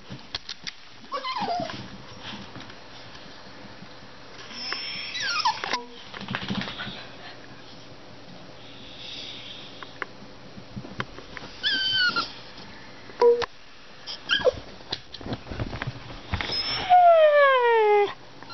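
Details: Pet dogs in a small room, excited and wound up at dinner time; high whining squeals, a sharp falling whine near the end, mixed with shuffling and household noise.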